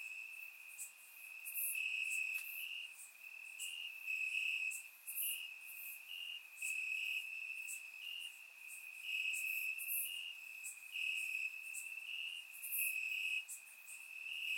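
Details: Several crickets trill from grass in Bulgaria on a warm summer night, captured by a surround microphone; a constant piercing tone with slightly stepped pitch shifts and intermittent louder chirps above it.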